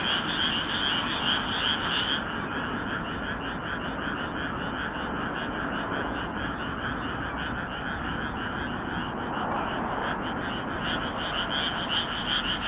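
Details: Frogs in a loud chorus from a rice paddy in Nagoya, Japan, on a moonlit night in May 2016, recorded on a compact camera; dense overlapping croaking with a pulsed band of calls, steady throughout, plus a faint low rumble of traffic or aircraft.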